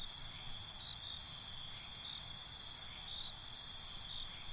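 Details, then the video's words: Night-time crickets: a steady high-pitched trilling bed with rhythmic, evenly spaced chirps at the start, fading back into an unbroken shrill drone. "Night ambience, Cricket Conversations"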